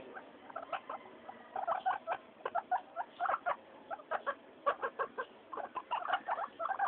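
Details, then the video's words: Several pet guinea pigs during floor time, noisy and happy; rapid bursts of short squeaky chirps and clicks, irregular clusters throughout. "GUINEA PIGS... Wheekly Floor time."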